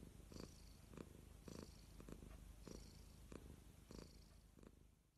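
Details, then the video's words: Soft cat purr, a low rumble that swells in rhythmic pulses roughly every half second, fading slightly toward the end. "Listen To The Purr Of The Cutest Cats"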